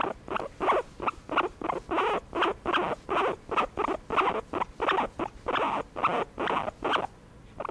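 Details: Pet guinea pig being massaged, uttering a continuous run of brief, breathy chirping bursts at a quick, fairly even pace, each note buzzy and mid-pitched, with little else audible.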